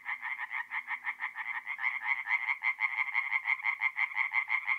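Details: Mid-April night, forest pond in north-east Italy: singing tree frogs give rapid, evenly spaced nasal croaks, roughly three per second, one loud caller dominating over a softer background chorus.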